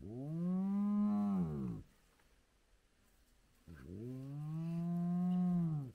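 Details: Spotted hyena clan back together at their den with cubs, sunrise: two long, low, tonal moans, the first arching and fading, the second rising slowly and holding before cutting off, with a quiet pause between.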